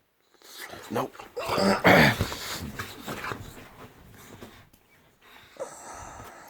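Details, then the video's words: Layla the Boxer rouses her owner early on his day off inside the house; breathy huffs and grumbling vocal bursts swell to a loud peak, then trail into quieter snorts amid a person's voice ordering her to sit. "Boxer Dog OR Alarm Clock?"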